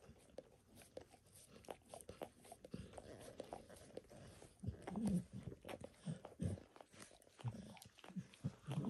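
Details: A pet dog grooming itself indoors, licking its paws and a person's foot and leg. Wet, smacking licks come in quick irregular bursts, soft and low, with small clicking transients and a quiet room background, no talking.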